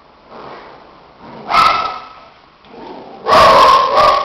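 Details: Two shih tzus playing so hard their coats get tousled; one gives short yipping barks, a softer one near 1.5 seconds and a louder pair of sharp barks near the end, with faint grumbling in between.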